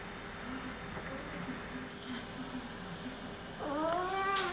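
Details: Two male Oriental cats described as talking; quiet low murmured sounds early on, then a clear harmonic rising-falling meow-like vocalization near the end, with faint background hum.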